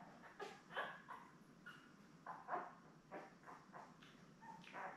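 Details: Labrador Retriever puppies, a newborn litter of seven with mother Belle on a live puppy cam; scattered short squeaks and yips, faint and irregular, over a steady background hiss.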